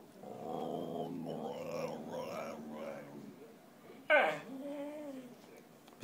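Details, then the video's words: Theodoro, a Whippet, very hungry and asking for food, 'talks' in drawn-out, wavering whines and low growly moans with shifting pitch, then gives one sharp, louder yelp-like burst near the end, in a quiet indoor room. "Theodoro Whippet falando"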